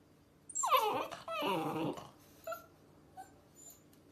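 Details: Rottweiler puppy on its first day home, placed on a counter and wanting to get off, whines in two drawn-out cries that slide downward, each under a second, then gives two brief faint high squeaks in an otherwise quiet room.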